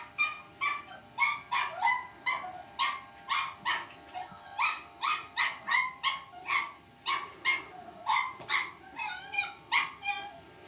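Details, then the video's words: Cavalier King Charles Spaniel puppy named Lucy barking at an electric shaver in a playful battle; rapid high yips and barks repeated about twice a second, with a steady mechanical hum underneath. "lucy cavalier king charles spaniel puppy vs electric shaver"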